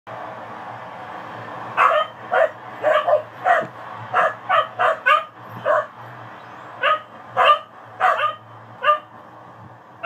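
A dog barks in short, sharp bursts, repeated irregularly about twice a second.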